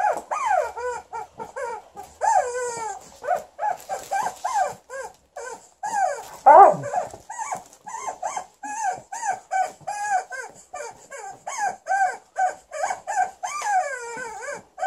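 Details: Female Alaskan Malamute named Liza scolding her new chicken toy with a long stream of short, bouncing, arched woo calls, several each second, with a louder rough grumble near the middle and a constant faint high-pitched squeak.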